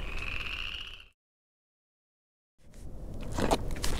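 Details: Spring peeper frogs out in full force at evening camp at the end of the Newberry Passage of the Palmetto Trail, South Carolina. A dense chorus makes a steady, high, shrill ringing before breaking off abruptly.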